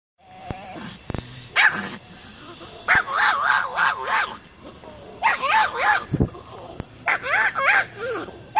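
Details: A dog gives a series of short, harmonic, yelping barks in bursts, some rising and falling in pitch, with brief pauses between groups; steady faint background hum.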